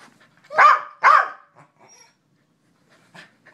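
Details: A male corgi, called and asked a series of questions by his owner, answers with two quick, loud, rough barks in a row, the second following the first almost at once.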